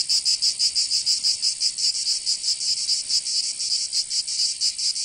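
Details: A summer chorus of cicadas in Provence, southern France: a strident high buzz with fast, slightly irregular surges several times a second, steady in loudness throughout.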